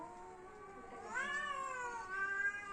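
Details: Domestic cat on the verge of a fight, a steady low moan that abruptly rises into a louder, strained, bending yowl.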